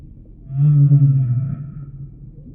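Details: Humpback whale song in a relaxation recording: one loud, low moaning unit lasting about a second, steady and slightly wavering, with faint higher harmonics above and a quiet underwater rumble throughout.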